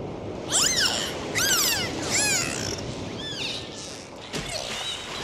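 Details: Dolphins underwater during a dive give a run of arched whistles, roughly one a second, each rising and then dropping, followed by a faint buzzy burst and a sharp click against steady water noise.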